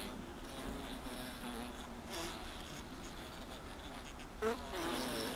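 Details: Honey bees crowded inside a honey super, giving a steady low droning hum with wavering harmonics, slight rises and falls in loudness and a brief louder buzz near the end.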